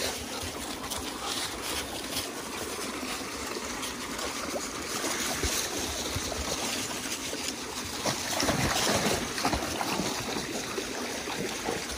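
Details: Continuous splashing and trickling water noise with no clear animal voice.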